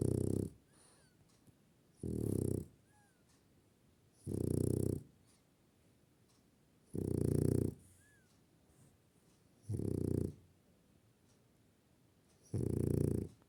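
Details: Snoring French Bulldog in a room, giving steady rumbling low snores with airy hiss, six of them spaced about two to three seconds apart, the silences between almost empty.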